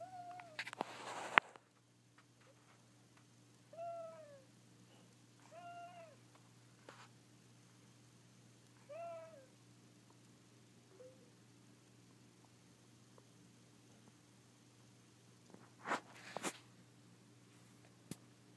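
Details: Sleeping pet cat, thought to be dreaming, gives several short, soft chirping meows spaced a couple of seconds apart, between loud handling bumps at the start and near the end, over a low steady hum.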